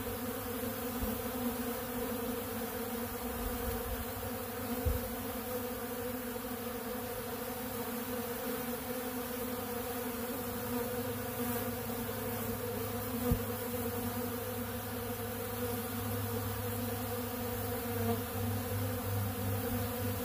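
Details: Honeybees feeding on ultra bee pollen from a big blue pollen feeder: a steady, even hum of many wings with layered low droning tones, unbroken for twenty seconds, with occasional soft knocks.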